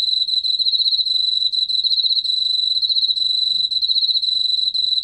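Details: Continuous song of a Korean field cricket from the National Institute of Biological Resources, 2020: a piercing, steady trill of quick regular pulses filling all five seconds, with no pauses and no other sounds.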